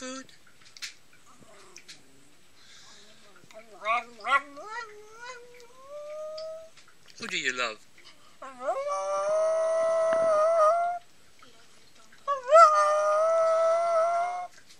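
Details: Pomeranian dog giving drawn-out, whining howls: short rising yelps first, then two long steady tonal howls around eight to eleven and twelve to fifteen seconds, with faint human voices between.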